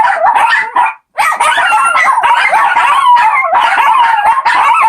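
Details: Four Shih Tzu puppies singing together, a chorus of overlapping wavering howls and yips that rise and fall, broken by a brief pause near the first second before the voices resume.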